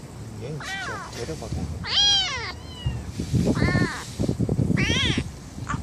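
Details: Stray kittens, four siblings born in a residential area near a bus terminal: several high, thin, arched meows, some rising then falling, interspersed with rustling, and people talking quietly in the background.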